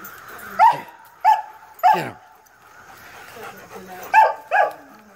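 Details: Dog barking in a home where a Greyhound attacks a screen alongside two Rottweilers named King and Prince Moose and a German Shepherd named Glacier: five sharp, harmonic barks, three in quick succession, then a pause, then two more close together.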